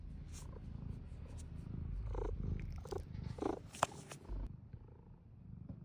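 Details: Close, loud cat purr, a gravelly low vibration swelling and easing with each breath, with sharp clicks and handling noises scattered through the first four seconds before it quietens.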